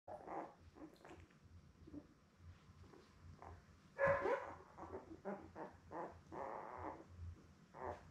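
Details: Newborn Labrador Retriever puppies, a litter of seven born May 24, 2021, with their mother Belle on an indoor puppy cam: short whimpering squeaks and grunts in scattered bursts, one louder squeal midway, over a steady low hum.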